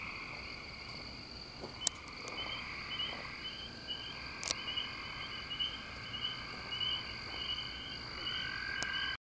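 High, chirping frog calls repeat in steady trains over a constant shrill background chorus.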